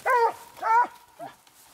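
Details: Treeing Walker Coonhound out coon hunting, two strong harmonic barks in quick succession followed by a softer short yelp.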